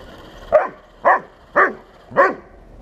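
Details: Bernese Mountain Dog Buddy barking at a 1:16 radio-controlled tank: four loud, evenly spaced barks roughly every half second, with a quiet motor hum beneath.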